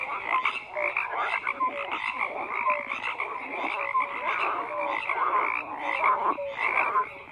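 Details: Frogs croaking in a dense chorus: overlapping pulsed croaks and short tonal notes around the middle range, with brighter bands higher up, pulsing steadily without pause.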